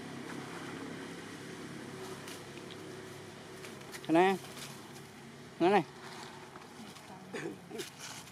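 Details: Baby temple monkeys at play in their troop family in Cambodia, sounding happy: two loud, short arched calls, each rising then falling, about a second and a half apart, then fainter chirps, over a steady background hum with people talking.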